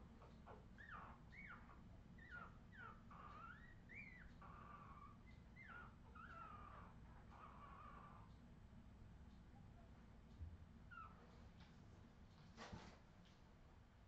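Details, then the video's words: Australian Terrier puppies from a 2018 litter giving a rapid series of high, squeaky whimpers and short rising yelps, many overlapping, with a steady low hum underneath throughout. "Redwing Australian terrier puppies"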